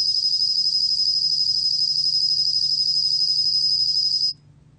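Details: A bell cricket, recorded in 2020 by the National Institute of Biological Resources, sustains a bright, high, continuous ringing trill with faint pulsing underneath, then stops abruptly near the end, leaving quiet.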